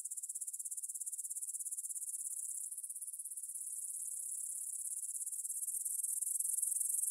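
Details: Field grasshoppers stridulating near the Svensky monastery in Bryansk, Russia, at 9pm on 6 September 2020, recorded with a Tascam DR-44WL: a shrill, rapidly pulsed buzz, softer and smoother mid-way, then swelling louder toward the end.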